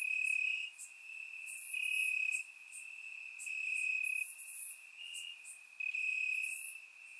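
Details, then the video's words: Crickets chirping in grass on a warm summer night in Bulgaria, captured with a surround microphone: a steady high trill with louder pulsing bursts every second or so, and fainter higher insect buzzes layered above. "Cricket Sounds - Crickets Chirping at Night"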